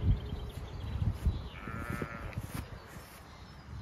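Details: Zwartbles sheep grazing thick pasture of clover, celandine and grasses in County Kilkenny, Ireland, during lambing season on a chilly, windy day; one brief wavering bleat after bursts of rustling and footsteps.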